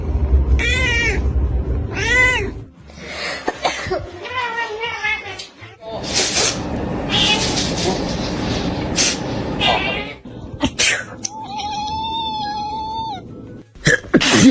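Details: Pet cat reacting to a person sneezing: several loud, wavering meows with stacked harmonics, mixed with sneezes, bursts of noise and human voices.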